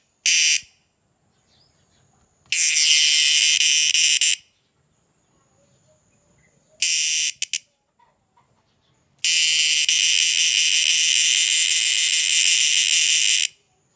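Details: Night-calling insect producing loud, harsh, broadband buzzes in uneven bursts, one brief, others lasting about two and four seconds, with silent gaps between them.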